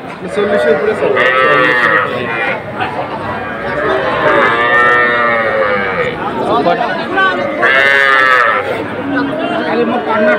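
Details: Sahiwal calves for sale at Ambari haat market, Kushtia, Bangladesh, 24 May 2024; several loud, harmonic bawling moos, each about a second long, come in bursts over continuous background talk from the market crowd.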